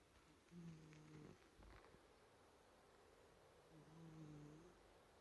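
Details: Maine Coon named Bell, asleep, breathing and snoring quietly; two soft, low, droning snore breaths roughly three seconds apart, with faint rustling between them in a hushed indoor setting.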